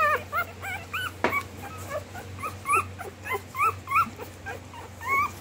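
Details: Female Rottweiler Lexi and male Lhasa Apso Dodger during a July mating at home. Soft, irregular whimpers with wavering pitch are punctuated by one sharp yelp, over a faint constant low hum.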